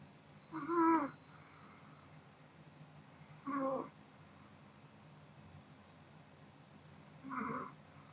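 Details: Sleeping Pomeranian Kodama snoring indoors, three soft, slightly whistling breath sounds spaced a few seconds apart over a faint steady room background.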